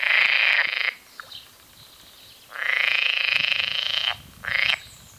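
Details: Song of green frogs (water frogs): a grating, quickly pulsed croak lasting about a second, a quieter pause, then a longer rattling burst of over a second and a short final croak.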